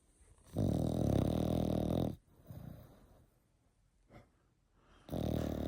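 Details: Eight-month-old French Bulldog puppy snoring: a loud, buzzy, low rasping inhale lasting about a second and a half, then a softer breathy exhale and near silence before the next rough snore begins.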